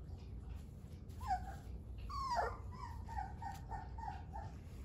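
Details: Dogo Argentino puppies at three weeks old give a few thin whines: a short rising squeal, then a longer wavering cry that tails off into softer repeated whimpers over a low background rumble.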